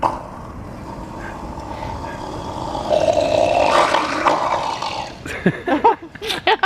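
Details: A seal at Henry Vilas Zoo, Madison, Wisconsin, on 23 July 2016 gives a low, rough, drawn-out growl, then short gurgling bursts like a monsterish throat hurl, a noise never heard before, while people talk.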